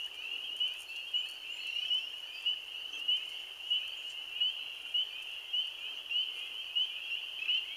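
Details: The season's first spring peeper (Pseudacris crucifer) chorus, 15 April 2013: countless high, clear peeps overlapping into a steady ringing wall of sound.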